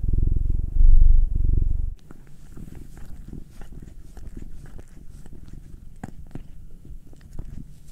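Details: House cat purring under a massage, either Will, a black male aged nine, or Anzu, a tortoiseshell Munchkin female aged two. A loud low rumble fills the first two seconds, then gives way to quiet rubbing and faint clicks.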